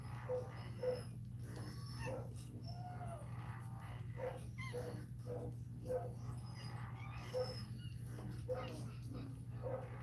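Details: Cane Corso whimpering while Cashmere, a Cane Corso, is in labour: short, thin whimpers and yips scattered through ten seconds, with a brief drawn-out whine near the three-second mark, all above a constant low hum.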